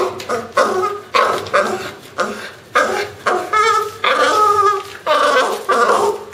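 A French Bulldog makes a run of odd, harmonic grumbles, moans and yips in short bursts.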